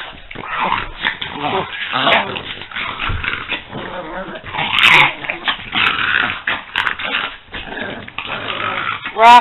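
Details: Loud rough growls and pig-like snorts from two playing French Bulldogs, Peanut and Daisy, in uneven waves, ending with a high squeaky whine.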